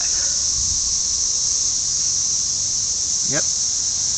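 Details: Dense chorus of red-eyed cicadas singing to mate, heard as one unbroken shrill hiss that holds steady throughout, with a short spoken word near the end.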